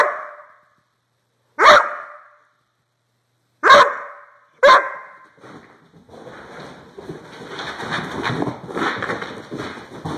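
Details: Doberman barking: four sharp, loud single barks spaced one to two seconds apart, then a stretch of broadband rustling and scraping noise.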